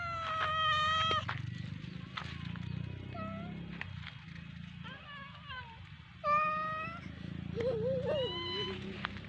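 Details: Domestic cat playing with a fish toy, giving several drawn-out meows with wavering pitch, some rising and falling, over a steady low hum.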